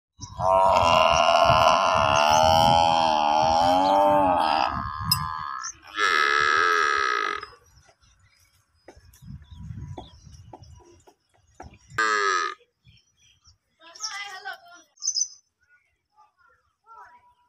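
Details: Water buffalo calf crying to its mother while suckling milk at a house. A long, loud, harmonic bawl lasts about four seconds, then two shorter cries follow after pauses, with faint soft noises between them.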